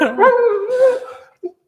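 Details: German Shepherd dog at home, a drawn-out moaning whine that wavers and slides in pitch for about a second, likened to a whale's sound, followed by two short soft sounds and a man speaking nearby.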